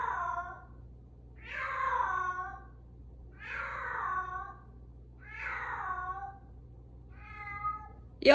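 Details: Indoors at the usual 8:02 evening slot, a Bengal cat gives repeated meows that descend in pitch, five calls over eight seconds, the last one shorter and softer, followed by a brief sharp noise.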